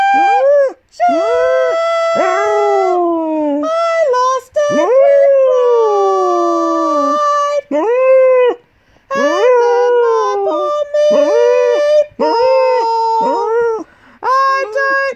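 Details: Eight-year-old female Golden English Cocker Spaniel, a pet, singing during a morning sing-along to "On Top of Spaghetti". Long, wavering howls slide up and down, some ending in falling glides, broken by short pauses, with one brief gap near the start.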